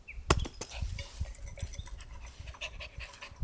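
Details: Pet dog at a campsite, panting at snack time after being called over: soft, breathy, rapid panting pulses, roughly three per second, with one sharp click near the start and quiet outdoor background.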